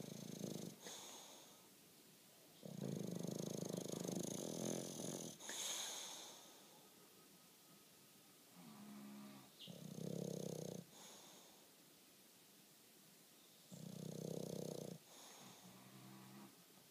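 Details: Bulldog asleep, snoring away on a lazy Saturday afternoon; long rasping snores of one to two seconds alternate with quiet pauses, some breaths carrying a nasal, fluttering rattle.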